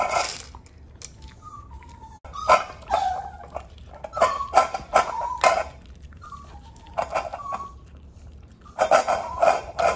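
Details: Three-year-old black and white male Chihuahua giving short, high whines in bursts, mixed with sharp yips and barks, with quiet gaps between bouts and a faint background hum.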